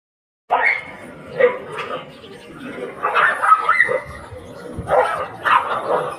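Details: Stray dogs on a street separating two locked dogs; repeated harsh barks and yelps in bursts about every second or two, with street background noise.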